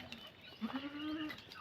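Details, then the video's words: A goat in labour, about to give birth, gives one short low bleat: a steady, slightly rising tone held for under a second, over faint background rustling. "ACTUAL NA PANGANGANAK NG ATING KAMBING"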